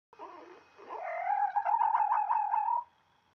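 A fox gives a drawn-out, wavering whine with a quick tremble running through it.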